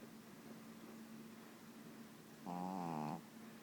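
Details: Pet dog snoring, described as a snoring machine: a steady low hum, then one voiced, droning snore of under a second with a stacked, slightly wavering tone.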